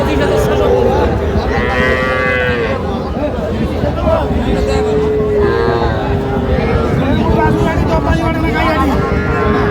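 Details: Sahiwal calves, small bulls and heifers, at a cattle market in Jamalpur, Bangladesh, on 14 June 2025; several drawn-out moos under constant crowd chatter, traders' voices and a low hum of market noise.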